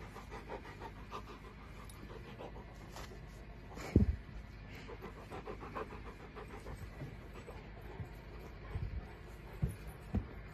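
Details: Steady rapid panting from a Bernese Mountain Dog: soft airy breaths in an even rhythm, broken by a sharper knock near the middle and low room hum throughout.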